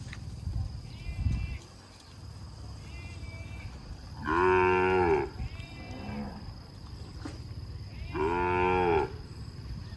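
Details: Cambodian cattle tied to a breeding recorded 6 November 2023 moo loudly twice, several seconds apart, with fainter, higher moos in between and low rumbling noise underneath.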